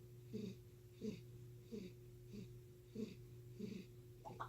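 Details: A cat named Chris, known for never having a normal purr, produces rasping breath-like pulses about every 0.7 seconds. Each one has a soft hiss. A faint, steady electrical hum runs throughout.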